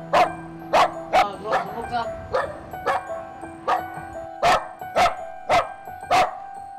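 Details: Dog stranded on a narrow rooftop edge, wary of humans, barking so hard it trembles as people approach: a run of about eleven sharp, loud barks in quick succession, with steady music playing underneath.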